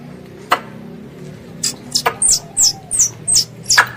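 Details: Squirrel calling its mother: after a quiet start with a couple of clicks, a quick run of six or seven piercing, high chirps, each sliding slightly downward.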